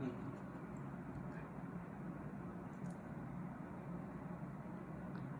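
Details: Only a low, even hum and muffled ambient noise throughout, quiet and without any barking or other animal voice.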